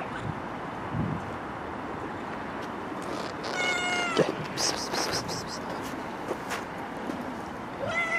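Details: Street-living stray cat giving a drawn-out, falling meow midway, followed later by a short rising mew, amid outdoor background noise with scattered clicks and rustling.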